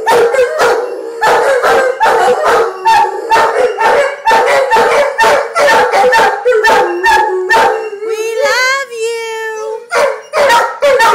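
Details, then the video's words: Pair of Giant Schnauzers singing, fast choppy yodelling howls repeated in rapid bursts, then a long rising and falling wavering howl with rich harmonics before the choppy bursts resume; a person's voice faintly mixed in. "Singing Giant Schnauzers"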